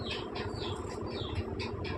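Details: Newborn Persian kittens, five born to the pet mother cat Chaki the night before last, give thin high squeaky mews in a quick run, about four per second, with a low steady hum underneath.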